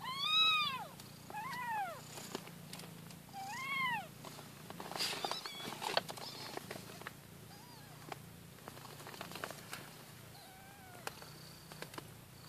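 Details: Newborn kittens nursing and fighting for their mother's milk; several loud arched high-pitched mews in the first four seconds, then softer squeaks over a continuous low purr and rustling.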